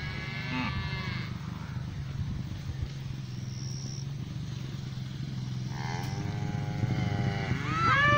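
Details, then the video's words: Noisy pasture cows, a black cow coming over: a short call at the start, then a longer falling moo after six seconds and a rising one at the end, over a constant low hum. "Cows mooing in the pasture."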